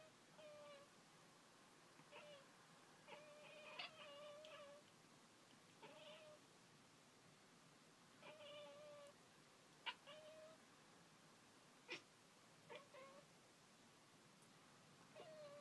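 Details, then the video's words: Pet cat named Pringles indoors, chattering at birds outside: short clipped bursts with bright harmonic stacks and brief chirps, repeated in irregular clusters every second or two, some sharp clicks, quiet room. "Pringles the Cat sweetly, chattering away to the birds outside!"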